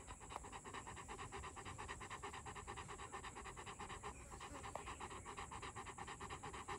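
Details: Two-year-old male Rottweiler panting fast and steadily, a soft rasping breath repeating about twice a second through the whole stretch, quiet and close, with no other sounds.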